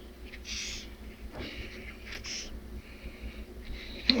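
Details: A Madagascar hissing cockroach, touched by hand, gives several short, breathy hisses, each a burst of air lasting under a second.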